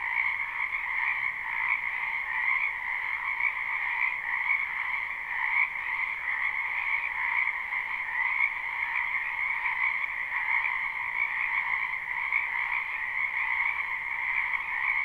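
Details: Spring frog chorus from a wetland behind a house, recorded live without looping: a dense, continuous trilling din with two steady bands, one high and one lower, unbroken throughout, no other sounds standing out.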